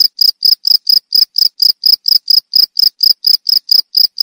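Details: Short burst of cricket song, described as melodious and used against rats and for calming cage birds: crisp, shrill pulses spaced evenly, about eighteen in four seconds, nothing else audible.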